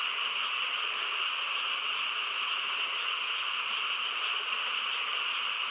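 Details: Quiet rural night filled by a massed frog chorus, a seamless buzzing wash of many callers at steady volume, without gaps or distinct single calls.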